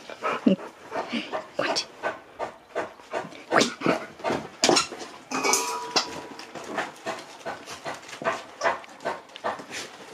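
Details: Nook, a Siberian Husky at home, talking and shouting while telling off its owner: a long run of rapid, rhythmic broadband yelps and grumbles roughly every half second, noisy and harsh, indoors.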